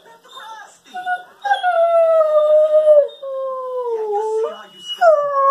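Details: Weimaraner crossed with German Pointer making its everyday 'talking' monologue: several drawn-out tonal howls, slowly sliding downward in pitch, the last one starting high and falling, with brief owner comments.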